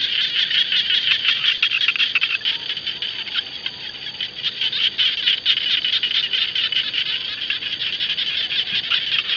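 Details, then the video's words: A dense chorus of frogs calling around the rice fields, high, rapid, crackling pulses overlapping into a continuous shimmering din. "Frog Song (khiat Hong) ຂຽດຮ້ອງກ້ອງທົ່ວທົ່ງນາ"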